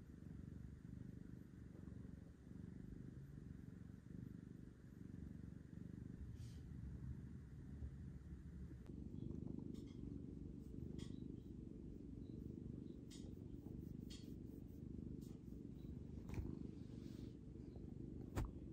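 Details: Orange adoptable cat at a humane shelter in Seattle, a cuddly male, purring deeply: a continuous low rumbling throb that holds steady throughout, with faint clicks and light handling noise in the second half.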